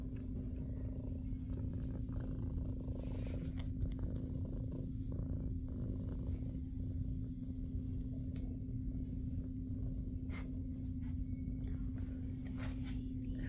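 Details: A big, fluffy female shelter cat purring while she gets belly rubs, a continuous deep rumble with a steady background hum and scattered soft clicks and rustles.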